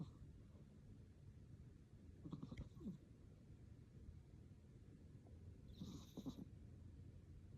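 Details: Sleeping cat snoring quietly, two low, throaty rasping breaths about three and a half seconds apart over a soft, steady background hum.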